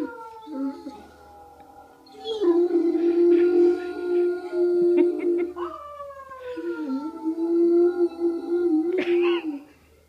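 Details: Great Dane howling: two long drawn-out howls, each starting higher and settling into a steady mournful tone before sliding down, separated by a short pause, with faint human voices in the background.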